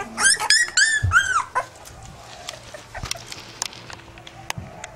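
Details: Pit bull puppies give a quick run of high, arching whines in the first second and a half, each bending up and then down. After that only soft clicks and faint rustling remain.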